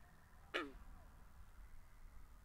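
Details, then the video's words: A single loud, snappy pluck from a frog by a pond, binaurally recorded, with a quick downward slide, then quiet low rumble and hiss. "Two Hours Of Frogs By The Pond"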